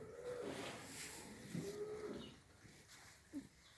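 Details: Heifers aged six to nine months, including Simmental crosses, in Afyonkarahisar, Turkey; two short bellows in quick succession, each rising then falling, over faint background noise.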